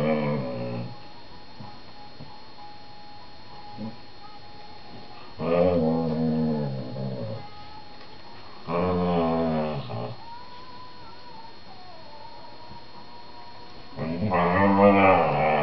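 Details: Male whippet talking to his 4-month-old younger sister while they play together on their sofa indoors: four drawn-out, moaning harmonic grumbles of one to two seconds each, separated by quiet gaps, over a faint steady background tone.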